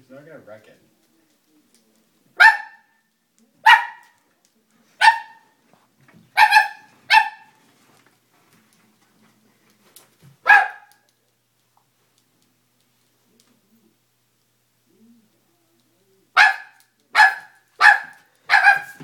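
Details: Dobermann puppy, scared of a stuffed toy, barking: short sharp barks in bursts, single ones around 2.5 to 7 seconds, one near 10.5 seconds, then a quick run of four near the end, quiet gaps between, a voice faintly heard.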